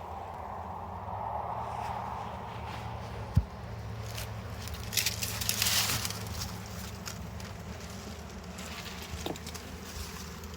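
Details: Honey bees at a hive during a honey harvest, frames heavy with honey: a low, steady droning hum fills the clip, with scattered clicks of frames being handled and a sharp knock just past three seconds.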